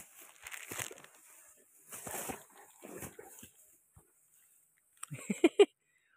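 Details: Bully dog, described as a fighter dog, playing: a few breathy, noisy snorting bursts in the first four seconds, then a quick run of short, harsh barks or yelps near the end.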